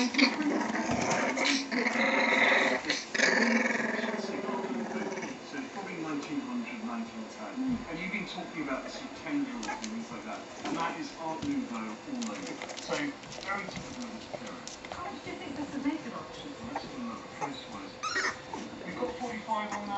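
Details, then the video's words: Litter of 3-week-old Staffordshire bull terrier puppies calling together: many overlapping thin whimpers and squeaks, some short rising and falling whines, with a person talking at the start and low growling sounds. "Pups at 3 weeks old"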